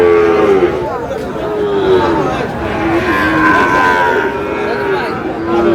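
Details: Sahiwal bull calves being sold at a livestock market, bought by a Dhaka farmer: a sustained moo opens, and further lowing follows near the end, half-buried under a steady din of market talk.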